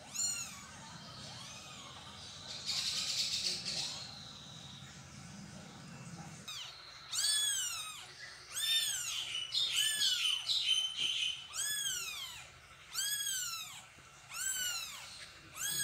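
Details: A mother cat carrying her kittens to a new spot: after several seconds of rustling and handling noise, clear high mews repeat about once a second, each a rising-falling arc, some doubled.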